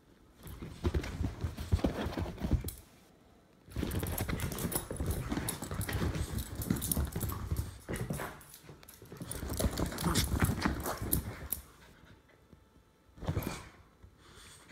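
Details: A Jack Russell Terrier mutt and an English Bulldog play-fighting: long bursts of low, rumbling growls mixed with scuffling and rough breathing, breaking off briefly near three and twelve seconds, then a short final burst.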